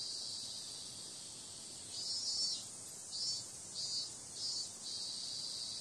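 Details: Cicadas calling on a summer night: a steady high, hissing drone swells into louder pulsing bursts from about two seconds on, each lasting around half a second with short dips between.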